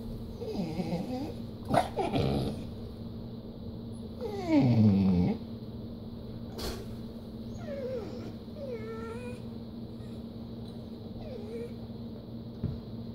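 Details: Dog, a Treeing Walker Coonhound and Pit Bull cross that doesn't like to share, gives high whines and yips with a louder grumbling whine near five seconds, then softer squeaky whimpers; steady low hum and a few knocks.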